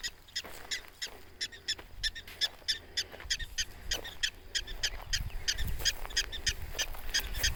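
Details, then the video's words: Prairie dogs complaining about and insisting on human visitors keeping away: rapid, sharp, high chirps repeated about three times a second in an uneven series, over faint outdoor background. "Prairie Dogs complaining about human presence."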